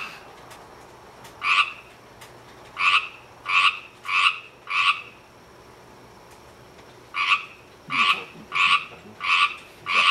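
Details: A Pacific tree frog gives rivets and trills: short, raspy two-part notes in quick runs, pausing between bursts.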